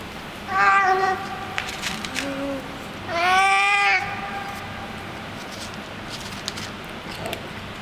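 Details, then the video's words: Street cat fed in a garage basement, vocalising while it eats: a short harmonic meow, a softer low murmur, then a longer wavering meow, with chewing clicks and faint background hum. "Hungry street cat eating and making funny noises at the same time"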